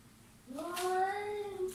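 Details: Short pet cat meow that swoops upward and levels into a sustained, slightly rising tone, with a brief hiss-like rustle near the start.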